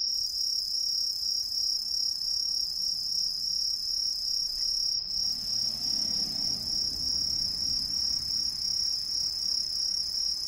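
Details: Introduced green tree crickets calling from all around, hidden high in street trees in an Ehime residential neighbourhood, Japan: an unbroken piercing high-pitched trill with fast regular pulsing, a low rumble of passing traffic midway.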